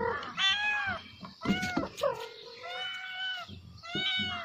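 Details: Kittens crying loudly on seeing a snake, a few long, drawn-out, slightly descending meows with strong harmonics, one plaintive cry held for nearly a second, a short scuffling noise between calls.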